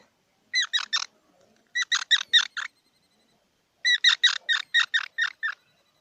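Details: Squirrel calling with sharp, squeaky notes in quick runs: a burst of three, then five, then after a pause a longer string of about eight. The notes are evenly spaced and bright, with a quiet background.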